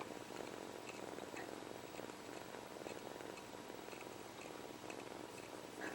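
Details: A young male kitten, separated early from his mother, sucks his paw while purring steadily, a soft continuous rumble with small wet clicking sounds; he also sneezes.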